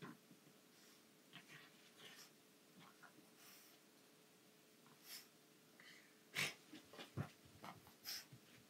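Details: Female pug puppy playing roughly with an anglerfish toy: short wheezy snorts and breathy huffs in irregular bursts, louder near the end, mixed with soft rustling and knocking from the toy.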